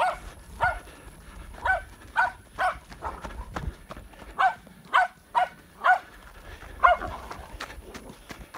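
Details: A 7-month-old Patterdale Terrier puppy bays a wild boar hog with sharp, high, ringing barks about once a second, in Florida in August 2019.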